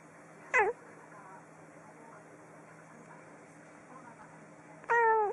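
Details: Domestic cat giving two short, clear meows about four seconds apart, each a bright harmonic call sliding downward, separated by near silence with a faint steady hum.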